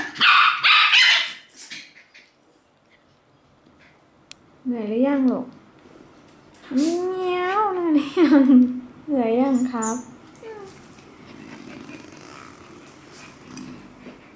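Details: Shetland Sheepdog and Chihuahua vocalising: loud, harsh bursts open, then a series of wavering, sliding whines and yodel-like howls rising and falling in pitch. Human speech is audible in the background.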